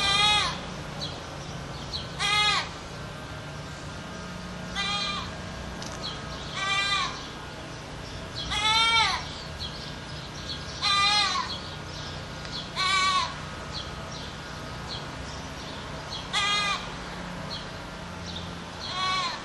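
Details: Goat yelling repeatedly, about nine short, wavering, scream-like cries roughly every two seconds, some rising then falling in pitch, with a faint steady hum underneath.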